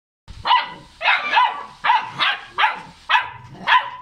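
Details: Cane Corso puppy, 45 days old, in Gabon, giving a run of short high yapping barks, about seven in four seconds, each sharp and slightly strained.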